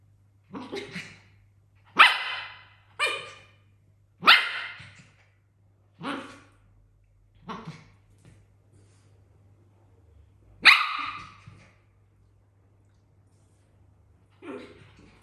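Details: Africa, a pet dog living in a house with cats and exotic animals, wants to play with the tired cats; sharp single barks ring out irregularly, about eight across fifteen seconds, with quiet gaps between and a low steady hum beneath.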